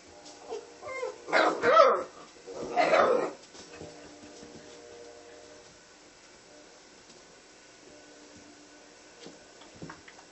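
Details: American red nose Pit Bull Terrier puppies, two loud harmonic yelping bursts around the second and third seconds, then quieter soft scuffling and faint indoor sounds for the rest.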